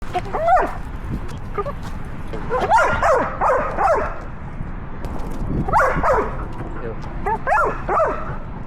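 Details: Female Belgian Malinois carrying a 360 camera while climbing trees and leaping into water: short arched yelping barks in clusters, several in quick succession around one and three seconds, then again near six and seven and a half seconds, over steady background rumble.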